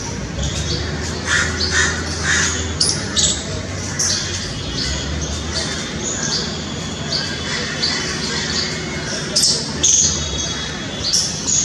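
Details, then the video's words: Squirrel filmed in extreme close-up with a 2000mm lens, giving short, harsh, broadband chattering calls in quick bursts, some clustered and some spaced a second or two apart, over a steady low hum and faint background noise. "Funny Squirrel sounds"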